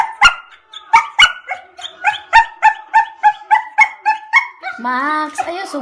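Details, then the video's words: An angry dog lets out quick, evenly spaced yelping barks, roughly three per second, then ends on a drawn-out, wavering whine. "Angry dog"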